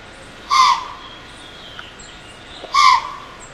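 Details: Wild white-tailed doe in Pennsylvania, stomping her forefeet and snorting at an intruding human with a camera: two short, harsh, blown snorts about two seconds apart over quiet background hiss.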